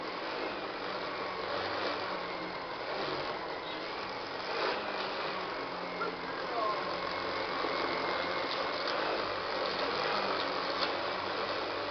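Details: A continuous broadband vacuum-cleaner roar runs throughout, with some speech beneath it and no puppy sounds.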